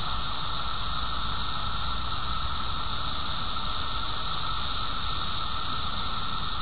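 Cicadas hold a steady, high, hissing buzz without pause, over a low background rumble.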